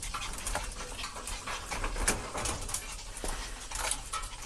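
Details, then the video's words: Overjoyed parent dog and puppy together, heard through rapid, rough panting bursts with a few short, thin whimpering squeaks scattered across the clip in a small indoor space. "おおよろこびの親子犬Awesome parent and puppy"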